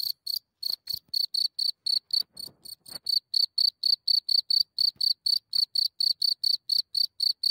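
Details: Cricket recorded at a distance of a few centimeters as it comes out of its hole at night, Germany: loud, high, ringing chirps in a fast steady train of about four per second, a few soft clicks early on.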